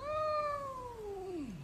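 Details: Kitten indoors giving a single drawn-out meow, a clear harmonic tone that holds steady then slides downward over under two seconds, with a quiet room in the background and a person softly urging another not to wake her.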